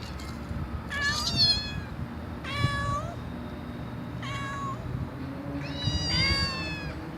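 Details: Loud cat meows, four distinct harmonic calls roughly every one and a half seconds, each a short bent note, over a steady low hum.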